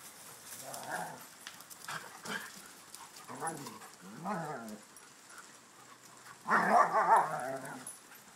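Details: A Schnauzer, a Ridgeback and shepherds together: a series of short warbling yips and moans at irregular intervals, ending in a louder, longer wavering howl-like cry near the end.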